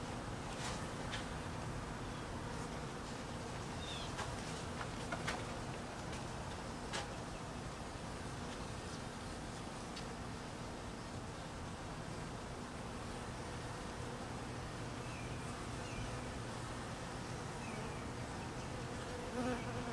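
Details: Hungry honey bees fed during cold weather give a continuous low, humming buzz of many wings, steady throughout, with scattered clicks early on and faint high chirps in the background.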